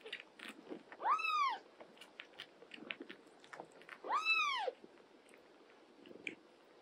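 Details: Domestic cats indoors, an older cat caring for a young mother cat and her kittens; two clear arched meows about three seconds apart, rising then falling, amid soft chewing and rustling sounds.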